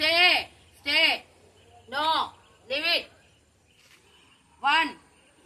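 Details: Lucky, a female Labrador Retriever, during an obedience training session, gives five sharp, loud barks in quick bursts, with uneven gaps and a longer pause before the last bark.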